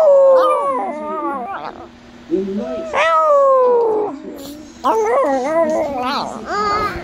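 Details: Male Chihuahua practising a howl, slipping back into barking: short yips and broken howling notes, one longer falling howl in the middle, then more clipped, rising and falling yelps.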